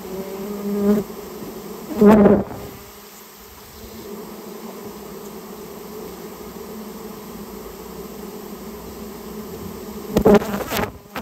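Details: Japanese honey bee colony during removal from a nest built inside a storehouse; a low, even hum of many bees runs throughout, broken by two loud bursts of handling noise near the start and end.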